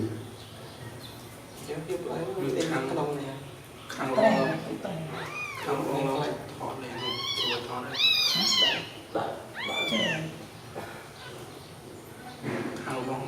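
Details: Newborn kittens sleeping together: after a quiet, murmuring start, a run of high, arched meows rises and falls from about four seconds on, several overlapping, with lower rumbling sounds beneath.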